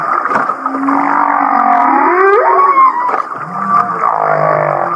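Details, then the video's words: Humpback whale song recorded off Kihei, Maui, in a passage said to sound like laughing: a thick, groaning, harmonic drone, a long rising-then-falling whoop near the middle, and lower moans at the end. "The Laughing Whale"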